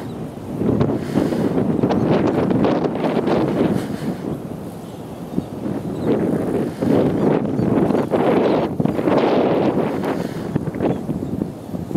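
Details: Steady wind buffeting the microphone, with no animal calls heard.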